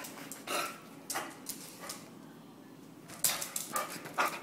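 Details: Two pet dogs, Jake the Basset hound and Mylo the Jack Russell terrier, wrestle in play; short harsh growly bursts recur about every half second, with a lull mid-clip before a louder flurry.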